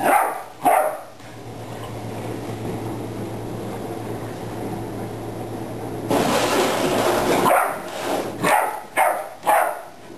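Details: Ten-week-old puppy tiring himself out barking at a water bottle: two sharp barks at the start, a low steady hum, then a loud rough burst and several quick barks near the end.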